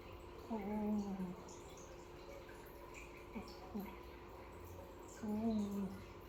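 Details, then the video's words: Piko, a kitten and village cat, snoring: two drawn-out, tonal, slightly wavering snores about five seconds apart, with fainter short breaths between, indoors in a small room. "piko ngorok"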